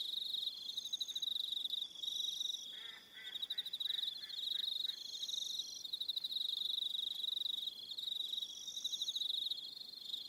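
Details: Evening chorus of crickets on Aroha Island, New Zealand: constant high pulsed trilling from many callers, higher trills coming and going, with a short series of lower rhythmic pulses part way through.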